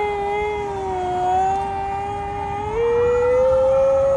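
A corgi gives a long, sustained howl that dips slightly, then steps up higher.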